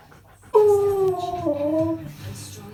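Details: Key, a Siberian Husky, in his usual morning discussion, said to sound like riding an invisible motorbike: a sudden sustained harmonic howl that slides slowly downward for about a second and a half, then fades to low background rumble.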